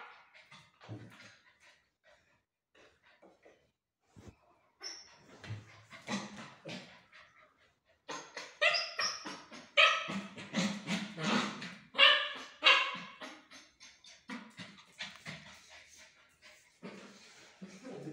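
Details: A 65-day-old female Labrador Retriever puppy in Bharanganam gives short, high, broken yelps and whimpers in quick uneven bursts, loudest in the middle stretch, with a person calling its name indoors.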